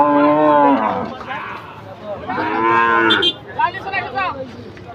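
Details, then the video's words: Cattle panicking while being unloaded from a truck: two long, loud, harmonic moos, the second rising then trailing off, followed by shorter strained bellows. "SAPI NGAMUK SAAT NAIK TRUK OLENG BIKIN PANIK"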